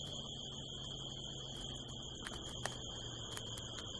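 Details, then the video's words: Desert crickets calling at night in California, heard from a rooftop under the harvest moon: a constant piercing trill runs throughout, broken by a few sharp clicks and taps, with a low hum beneath. "the sound of crickets"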